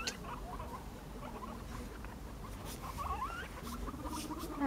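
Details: Five pet guinea pigs playing chase, following the leader; scattered short squeaks build to a rising chirped squeal, with a steady low purring note underneath and light scampering.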